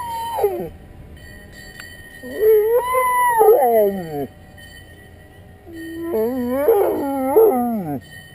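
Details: Snuffa the Dalmatian howls in protest as the ice cream truck passes without stopping: two long drawn-out howls, the first rising then sliding down, the second breaking into wavering yodel-like pulses before falling away, with a faint steady whine behind.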